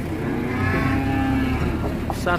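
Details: Large cattle being unloaded from a truck, agitated: a long low harmonic moo held for about a second and a half, over steady engine-like rumble and crowd noise.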